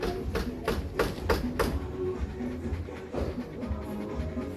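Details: Rhythmic music with sharp percussive taps and low bass notes fills the recording, with faint speech behind it and no animal voice.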